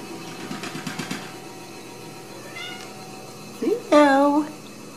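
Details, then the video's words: Ragdoll kittens at a home cattery in central Kansas, raised indoors without cages. A woman speaks softly at first, then after a quiet gap a short, clear, rising-then-falling meow sounds near the end. "Ragdoll Kittens"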